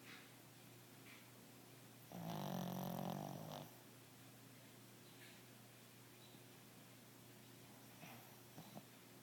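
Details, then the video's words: A pet dog snoring while asleep indoors: one loud, rough, low snore lasting about a second and a half, then quiet room hum with faint breathing. "Snoring Bernard"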